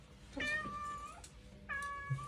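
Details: House cat protesting at being left at home instead of going out to the yard for a walk; two drawn-out, slightly falling meows about a second apart, with faint room noise between.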